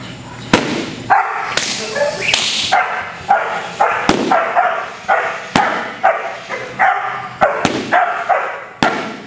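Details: Eight-month-old sable male German Shepherd in protection dog training, barking at a helper: sharp barks repeated roughly every half second to second, steady and insistent throughout, with some background noise.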